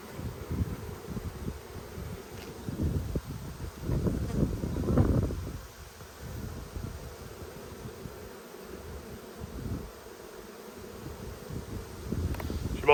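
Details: Strong honey bee colony in Australia, inspected on 5 February 2022 while food is scarce; a steady low buzz rises to a louder swell midway, then settles back into a softer, grainy drone.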